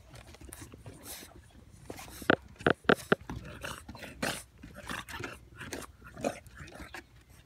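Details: English bulldog puppies indoors seeking attention: three short, sharp, high yelps close together near the middle, set among soft snuffling, rustling and handling noises in a small room.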